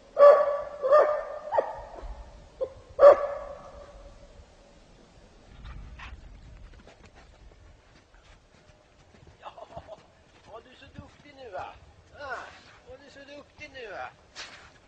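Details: Kopay hound on a hare hunt in snow: a burst of loud, ringing barks in the first few seconds, then quieter sounds, followed by a man talking near the end.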